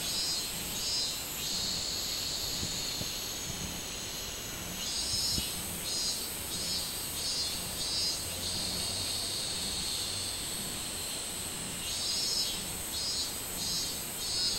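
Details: Minmin cicada call from 24 July 2016: after a quieter stretch, loud high buzzing pulses surge in rapid series, fade, then return near the end, over a constant high drone.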